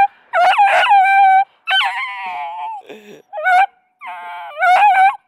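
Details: Female Beagle puppy in Stevensville, baying loudly because she wants to play with the other puppies: bursts of strained, harmonic-rich howls, each about a second long with wavering pitch and short silent gaps between them.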